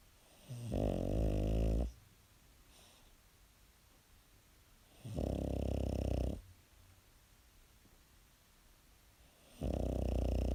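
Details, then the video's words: Sleeping pet dog snoring loudly in a small room, long low rasping snores of over a second each, repeating roughly every four seconds with quiet breathing between. "Cute dog snoring"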